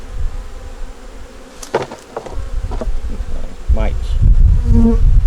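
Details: Honey bees at a nuc hive being checked in winter, colony with a yellow queen, eggs and brood; a few short buzzes of passing bees, one stronger swooping hum near the end, over steady low rumble from handling or wind.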